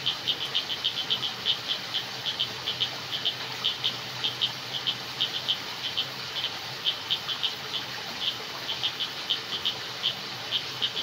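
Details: Night jungle crickets give rapid, shrill chirps in quick bursts, a few pulses each, repeating about twice a second against a faint steady hiss.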